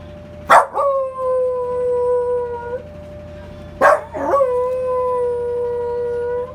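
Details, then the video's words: Male Welsh Corgi Rungji howling along with the Memorial Day siren: two drawn-out wails, each opening with a sharp burst, sliding down and holding for about two seconds, while the siren's steady tone runs underneath. "현충일 사이렌 소리에 하울링하는 강아지"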